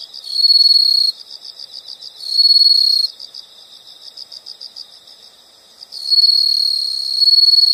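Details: Night-style insect sound with high, buzzy trills in bursts of about one second, alternating with rows of soft rapid pulses; a longer loud trill begins near the end and continues to the close.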